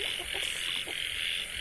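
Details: A dense frog chorus at night (about 9 pm, 9 July) from a frog-farm breeding pond with shallow water, where 10 females and 20 males were released to mate: a steady, high droning wash with a few lower croaks breaking through.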